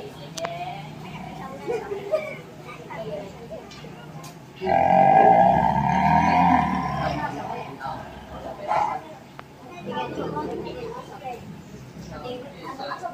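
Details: An angry white tiger at Tiger Park Pattaya gives one loud, rasping roar lasting about two seconds, with people talking around it.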